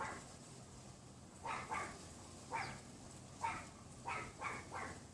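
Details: Pomeranian next door, unseen behind a wooden privacy fence, yaps on a windy February afternoon in 2015; short high barks come singly and in pairs, about six across the stretch, with constant breezy background noise.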